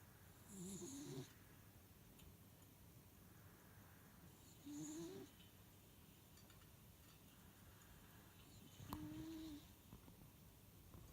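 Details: Miniature dachshund, a pet, snores while asleep; three short nasal rasping breaths roughly every four seconds, each ending in a brief whistle-like tone, over a quiet low hum.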